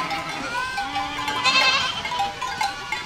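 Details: Goat flock walking through a village, brief stretch of overlapping bleats: one long level low call and higher quavering cries, with a burst of louder calling mid-way.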